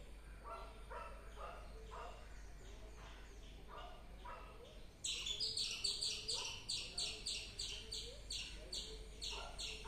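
Softer, lower calls repeat unevenly at first. Then a squirrel breaks into loud, sharp, high chirps, each clipped and bright, coming quickly at about two per second.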